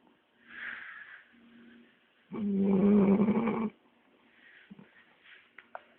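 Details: Labrador Retriever asleep and snoring after a long walk; soft breaths, then a single strong rasping snore of about one and a half seconds with a low droning tone, followed by quiet breathing and small snorts.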